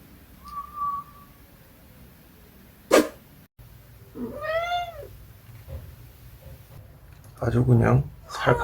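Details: Munchkin cat giving a single drawn-out meow of under a second that rises and then falls, preceded by a brief thin whistle-like tone and a sharp click, with people talking in Korean near the end.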